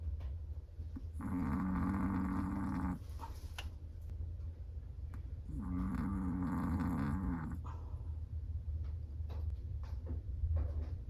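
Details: Chihuahua asleep, snoring in two long, rasping breaths of nearly two seconds each, about four seconds apart, with a low buzzing tone inside each snore and soft breathing between them in a quiet room.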